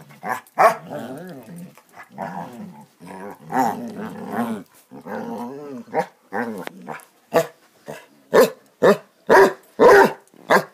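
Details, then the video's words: Basset Hounds playing together: rumbling play growls for the first seven seconds, then a run of short sharp barks about every half second toward the end. "Bassets playing"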